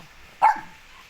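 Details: A puppy, one of several small dogs at a zoo, gives one quick, high, clipped, yappy bark that rises sharply and dies away in a fraction of a second, with faint background hiss before and after.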